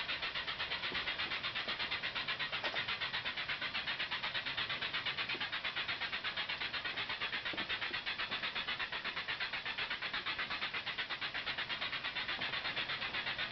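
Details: Cicadas chorusing in a mangrove tunnel at Ulumay Park Wildlife Sanctuary, Merritt Island, on 17 July 2011, heard from a kayak. A dense, steady, pulsing hiss throbs about three times a second, like a steam engine, loud enough to overwhelm the camera microphone.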